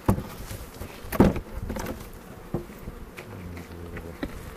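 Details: Buzzing honey bees at a hive inspection in the foothills near Cochrane, April 27, 2018; a continuous low drone with a sustained hum later on, broken by sharp knocks and taps of hive equipment.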